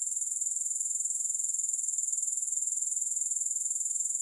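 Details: Grasshoppers in a continuous, steady high-pitched shrill with a fast, even pulsing rhythm throughout, with no music and no other sounds.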